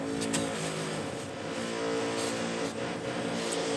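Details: Steady vehicle engine rumble with revving and passing traffic, no animal sound heard.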